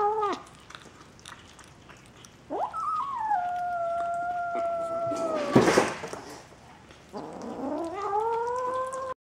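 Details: Bengal kittens at a St. Petersburg cattery, 11 January 2015, giving a few long, level mews separated by quiet gaps, interrupted once by a brief loud knock or handling noise.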